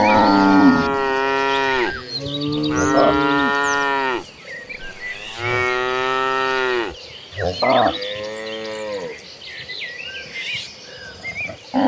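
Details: Agitated herd of cattle running toward green pastures, mooing: long harmonic-rich moos of one to two seconds, several overlapping in sequence, with faint bird chirps above and brief voices between.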